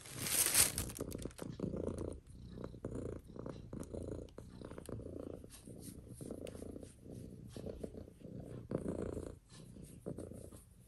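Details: Mitsu, a female pet cat, purrs steadily indoors, a low rumbling purr pulsing in soft regular waves with each breath, accompanied by light scratching sounds.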